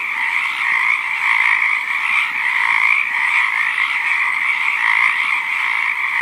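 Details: A frog chorus, its croaks rendered "kokak-kokak", forms an unbroken, shimmering wall of mid-high calling that swells and eases slightly across several seconds, with no other clear sounds.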